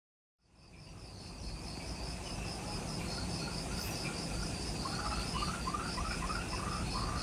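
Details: Insects in jungle forest on Ishigaki Island, Okinawa, Japan, at twilight just after sunset: steady high pulsed chirping in two bands over a low rumble, with a run of short falling mid-pitched notes near the end.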